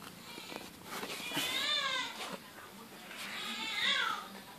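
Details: Newborn wild kitten from a neighborhood, unable to nurse from its mother, being fed milk with a spoon; two long, high, wavering meows with rich harmonics, the second rising then falling, over faint handling noise.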